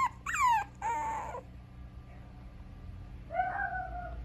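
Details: Mixed-breed dog at a breeder in Okayama, Japan, giving high, drawn-out whines: a sharp rising-then-falling whimper, a longer level whine, then after a pause a softer wavering whine, over a steady low hum.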